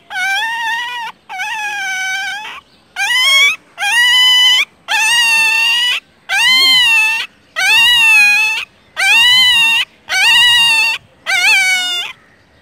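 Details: Four newborn roadside puppies whose mother turned up nearby; one cries in about ten steady, high-pitched whimpers. Each wavering, nasal whine lasts close to a second, repeated at a fairly even pace with brief pauses.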